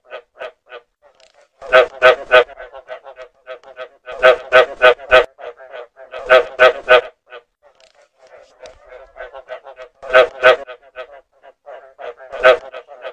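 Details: Frog calls meant for luring frogs: loud harsh croaks come in bursts of three or four, around 2, 4.5, 6.5, 10 and 12.5 seconds, with softer, quicker croaks filling the gaps. The background is otherwise quiet.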